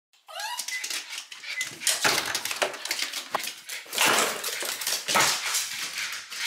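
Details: Three-year-old female mameshiba, a small Shiba Inu, kept indoors in Fukuoka, Japan, barking as a guard dog. A brief rising whine opens, then loud, sharp, rapid barks come in bursts with short breaks between them.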